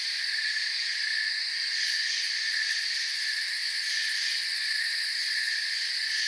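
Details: A steady cricket chorus: many overlapping high-pitched trills form a constant, ringing wall of sound. Nothing else stands out, and the volume stays even from start to finish.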